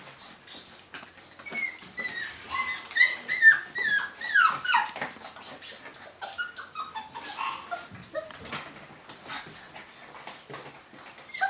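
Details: Young golden Cavapoos from a 2015 UK litter keep up a busy chorus of thin, high whimpers, each call dropping in pitch, many puppies crying over one another in an irregular stream indoors.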